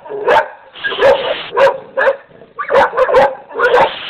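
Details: Dogs barking in quick, irregular bursts, barks overlapping with a rasping broadband noise, some yelping tones between them.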